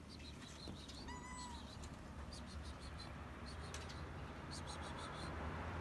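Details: A hungry stray cat on a rooftop begs for food with a single brief, rising-then-level meow, half buried under chirping birds and a loud low rumble of background noise.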